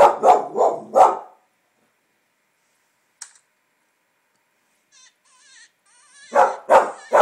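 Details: Finnegan, a pet English Springer Spaniel, reacting to coyote hunting calls played from a computer: three deep, rapid barks, a pause with faint electronic coyote calls, then three more loud barks at the end.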